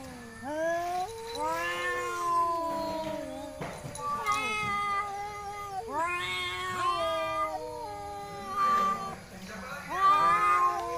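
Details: Village cats in Indonesia, a pair fighting and then relaxing; a run of rising, bending moans repeats about every two seconds, overlapping and wavering, with faint background voices.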